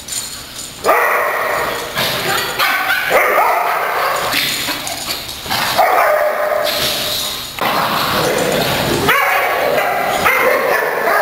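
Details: Pet dogs excited to play at playtime, barking in loud, harsh, broadband bursts of varying length, several close together and others spaced a second or more apart, with some higher yips mixed in and faint voices in the background.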